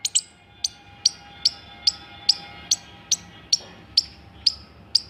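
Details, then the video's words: Squirrel making sharp, high, clicking chirps, each a single brief squeak, spaced about twice per second, with little else heard around it. "Squirrel Making Cute Sounds"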